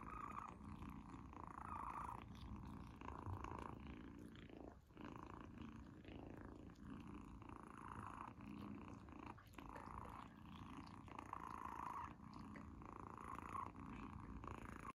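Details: Kitten named Izzy purring nonstop while enjoying her first-ever treat; a steady rumbling drone with rapid pulsing texture, interrupted briefly by small chewing and licking sounds, recorded indoors.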